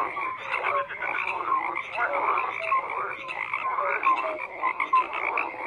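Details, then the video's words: Thick frog chorus: layered croaks and rattling pulses, with brief whistle-like notes repeating at irregular intervals, many animals calling at once. "FROGS CROAKING"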